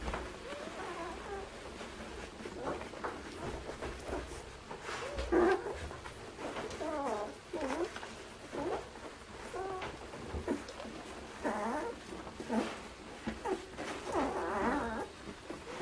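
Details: A litter of nine-day-old Irish Setter puppies eating, October 2016, Soldier Mountain: bursts of thin, rising and falling squeals and whines overlap irregularly throughout, with faint speech in the background.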